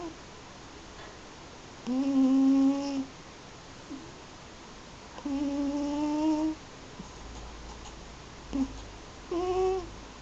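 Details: Yuzu, an eight-year-old Munchkin and American Shorthair mix cat, snores while sleeping indoors: drawn-out humming tones, each about a second long with faint overtones, returning every three to four seconds in a quiet room.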